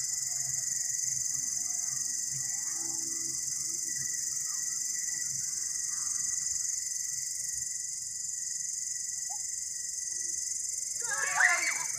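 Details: Green and brown long-horned grasshoppers give a steady, high, hissing buzz that runs on without a break.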